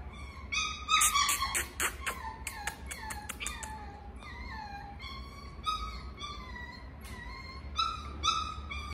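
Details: Miniature Schnauzer whining: a burst of sharp squeaky yelps, then high drawn-out whimpers falling slightly in pitch, repeated roughly every second with short pauses between.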